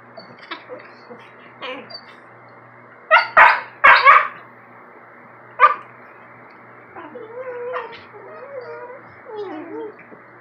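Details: Morning squabble between a German Shepherd-Rottweiler mix puppy and a Maltese: scattered yips, a burst of three loud barks, then wavering whimpering whines.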